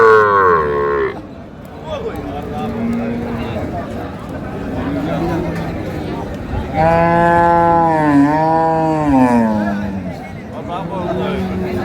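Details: Cows with calves at Raniganj cattle market in Dinajpur on 15 May 2025; a long, harmonic moo swells and wavers downward over several seconds amid crowd chatter, speech and background music.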